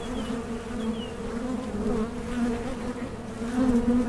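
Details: Honey bees at a Mason jar honey super in small-scale beekeeping: a steady, low droning hum with a deep fundamental and a strong overtone, slowly swelling louder toward the end.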